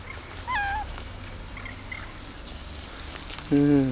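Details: Tiny meow from a pet cat, a calico kept together with a gray cat: one short, slightly falling, tonal mew, then quiet room noise. A person's voice calls at the end.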